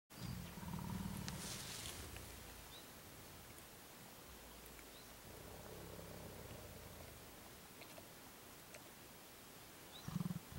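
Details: Mountain gorillas (Gorilla beringei beringei) in Volcanoes National Park, Rwanda, July 2011, as an adult silverback grooms a juvenile and the group moves off. Low, soft rumbling grunts, with a brief burst near the start and another at the end.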